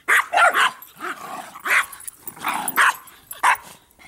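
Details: Bix, Banjo and Button, three playful dogs, bark and growl over a Jolly Ball; short sharp yaps come in irregular clusters, with low rumbling growls between them.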